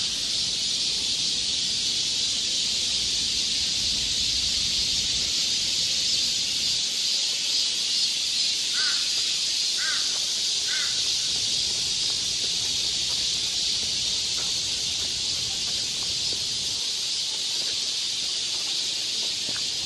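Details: Dense high-pitched whine of many cicadas in Galsan Park's forest, Mok-dong, Seoul, during summer, unbroken throughout, with a brief run of three crow caws near the middle.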